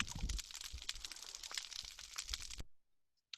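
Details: Underwater recording from a rocky reef habitat, made in 2019: countless snapping shrimp make a dense, continuous, fizzing crackle of sharp clicks like frying fat, then it stops abruptly, leaving near silence and one last faint snap.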